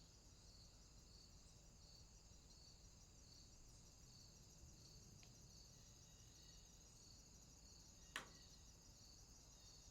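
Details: Night swamp crickets keep up a continuous high trilling chorus with a softly throbbing pulse; a faint tick near five seconds and a sharp click around eight seconds break through, with low background hum throughout.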